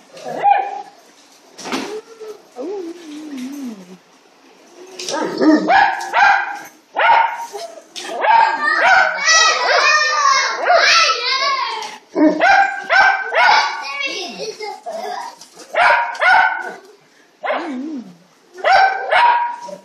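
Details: Grouchy Mastiff doing its 'elephant dance', grumbling and moaning in drawn-out, wavering whines that rise and fall, with short yips and whimpers between louder bursts, over a close, indoor-sounding background.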